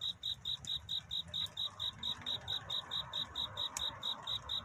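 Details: Courtship song of a cricket at night, near dawn. Crisp, high-pitched chirps pulse steadily, a little over two each second, standing clearly above a low, quiet background rumble.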